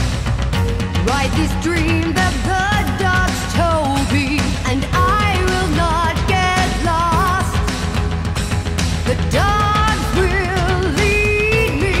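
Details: Loud rock song with a sung vocal line over guitars and drums fills the whole recording, and no animal calls can be picked out.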